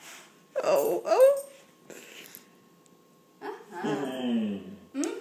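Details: A female German Shorthaired Pointer gives drawn-out, whining, talk-like moans to ask for something; her owner wonders if she wants a drink.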